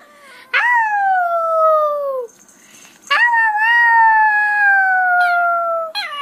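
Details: Puppies howling or crying: two long, high wavering tones that slide slowly downward, each lasting about one and a half to three seconds, separated by a short pause, with a brief sharp yelp at the very end.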